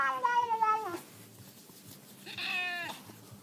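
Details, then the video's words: Domestic cat talking with its human indoors: two drawn-out meows, the first falling in pitch over nearly a second, then a brief pause before a shorter, brighter second meow that also slides downward. "Cats Talking With Their Humans | Funny Cats Yelling"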